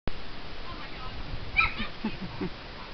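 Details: Miniature Schnauzer puppies at play, giving a single brief high-pitched yip midway, with faint low whimpering and growly sounds afterwards and a human voice in the background.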